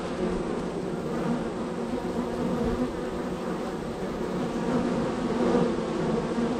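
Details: Honey bees at hive number three in a row of hives, extremely active with many entries and departures; a dense, steady droning hum of many wings, even in loudness throughout, with faint brief higher buzzes of individual bees passing close.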